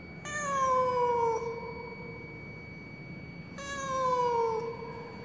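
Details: Lost cat in the stairwell of a high-rise apartment building: two mournful, harmonic meows slowly sliding downward, each just over a second long, about three seconds apart, over a soft constant hum.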